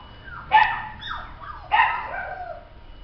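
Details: Toy poodle giving two harmonic, yelping barks about a second apart, each sliding down in pitch with a short whiny tail, in a quiet indoor setting.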